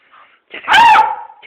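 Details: Young beagle named Balu lets out one loud, high yelping bark that slides downward and trails off, as a person calls to him in Hungarian, coaxing him down the stairs with a treat.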